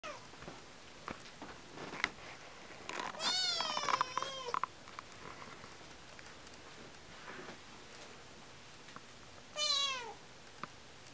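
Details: A domestic cat meowing indoors while climbing and jumping: a long wavering meow around three to four seconds, a shorter rising-falling meow near ten seconds, with scattered knocks and thumps between.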